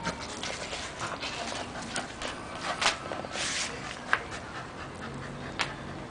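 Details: Almost two years old, the Scottish Terrier Whisky pants hard while playing with a hose, short airy bursts clustering unevenly, with a couple of sharper clicks over constant hissing background.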